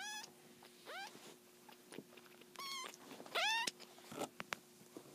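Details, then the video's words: Three-week-old black-and-white foster kittens, a litter of seven, waking up indoors; a few scattered high squeaky mews between soft rustling and clicks, over a constant low hum. "3 Week Old Kittens Waking Up"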